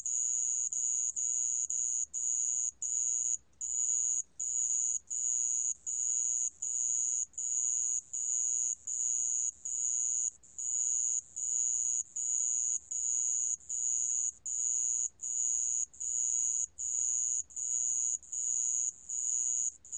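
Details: Sand cricket calling, from a 2020 national biological resources collection: a high, shrill trill broken into regular pulses of about half a second, repeating steadily roughly 78 times a minute, with short silent gaps between bursts.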